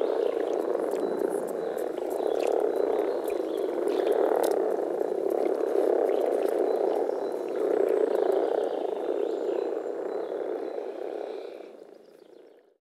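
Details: Frogs croaking in a Czech spring chorus: a dense, throbbing mass of low purring calls swelling and easing in waves, then fading away to quiet at the end.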